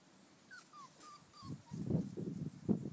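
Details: Five-week-old Bouvier des Flandres puppies playing with their mother in a garden: a string of four or five thin, high whines sliding slightly downward, then low thumping and scuffling sounds of play.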